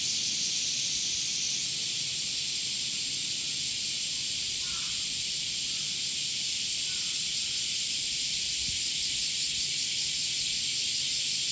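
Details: Male cicadas calling in summer, producing a constant piercing buzz with a slightly shimmering, pulsed quality that stays level across the whole stretch; a faint thin whistle and a few soft distant chirps sit beneath it.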